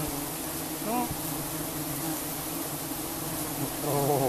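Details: Giant honeybees disturbed during a honey harvest: a dense, steady, broadband buzzing hum fills the whole recording, with brief human voice sounds near the start and the end.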